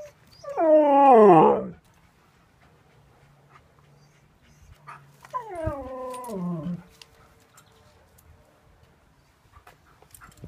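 A husky howls twice, each howl starting high and sliding down in a drawn-out, quavering, voice-like tone. A quiet gap separates the two, and a low background hum runs underneath.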